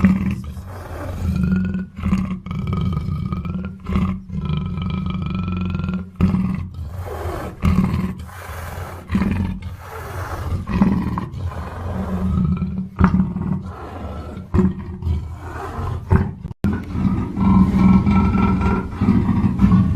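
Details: Repeated low, coarse roars from a black panther, rough grunting bursts coming about twice every three seconds over a constant deep throaty drone, with short gaps of near silence.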